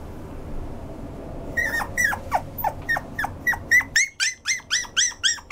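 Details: Toy poodle indoors letting out a steady string of sharp, high-pitched yelps, about four per second, growing louder and squeakier toward the end over a quiet room hum.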